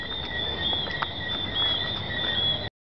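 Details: Thousands of Jamaican tree frogs singing in Negril, Jamaica, make a dense, steady, high, ringing drone.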